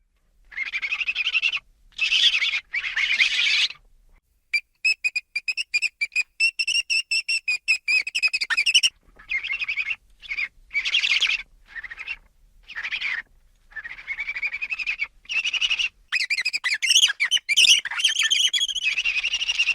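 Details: Ferrets, energetic pets, making playful vocalizations: high, squealing chitters in dense bursts, some a rapid stuttering series, others longer shrill squeaks, with brief pauses between.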